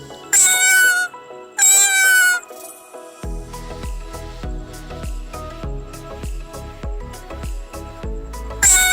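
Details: A domestic cat gives two long, loud meows, each rising then falling and under a second apart, with a third beginning at the end; plucked background music plays between them.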